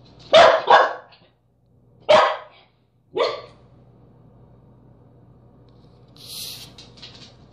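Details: Corgi trying to get into a peanut butter jar gives two quick sharp barks, then two more single barks spaced about a second apart, followed by a quiet hum and a brief faint rustle.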